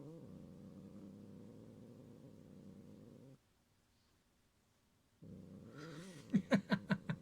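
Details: Gyopi, a pet cat, growls in threat to protect its toy Cotton-sensei from Ebiten: a rough, wavering growl, a short silence, another growl, then loud bursts of human laughter near the end.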